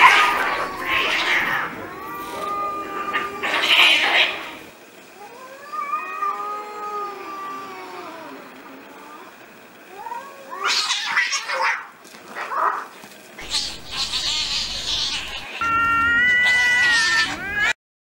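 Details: Stray street cats fighting, angry: rough hissing bursts open, followed by drawn-out wavering yowls that rise and fall, then more spitting outbursts and a final strained howl, with faint voices at times.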